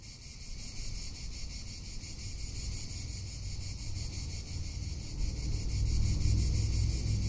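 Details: Summer in Tuscany with a cicada droning steadily, a shrill sizzling buzz pulsing quickly and evenly throughout, while gusts of wind build into a deep rumble toward the end.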